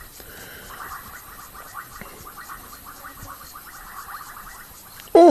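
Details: Bubbling kassinas call at sunset on 15 January 2024, after rain, at Rietspruit Game Reserve in South Africa's Lowveld, giving soft, rapid bubbling notes around one to two kilohertz in a steady chorus.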